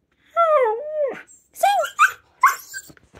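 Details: Female Siberian Husky puppy practising her howl: a wavering tonal howl that rises and falls, then a string of short yips and squeaky vocal bursts, with faint rustling in a small room.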